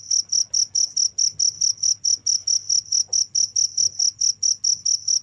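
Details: Cricket chirping steadily without pause, high pure pulses repeated about four times a second in an even rhythm, with a faint low hum underneath.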